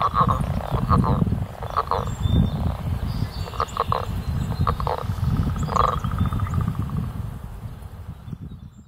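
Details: Leopard frogs at Petrie Island in mid April give short pulsed, snoring bursts in the mid range, repeated at uneven intervals of about one to two seconds over a heavy, steady low rumble.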